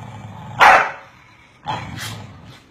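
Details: Corgis barking at each other give sharp, loud barks, two bursts about a second apart.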